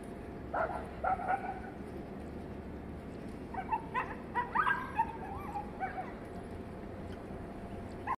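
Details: Indian desi dogs in a fight during mating, giving short bursts of yelping and whining cries, first in a quick group early on and then a longer run in the middle, against constant low background noise.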